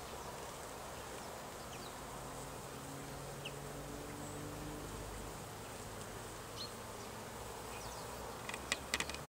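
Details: Honey bees collecting pollen in autumn buzz steadily, a low droning hum with faint rising and falling tones as they fly past.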